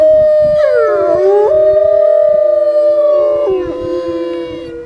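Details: A male research wolf howling: a loud, long, smooth tonal howl rising slightly then holding steady, with a second overlapping voice sliding below, tapering off after about four seconds; faint low rustling beneath.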